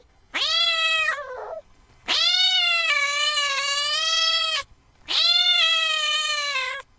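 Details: Cat giving three long, high, steady meows, each about one to two and a half seconds, separated by short pauses, bright and clear against a quiet background.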